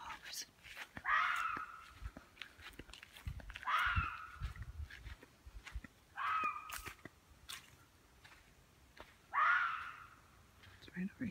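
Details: Red fox in northern Michigan, where foxes are abundant, screaming while hunting to scare prey into running; four harsh, rising screams roughly every two to three seconds, with footsteps and quiet talk between them.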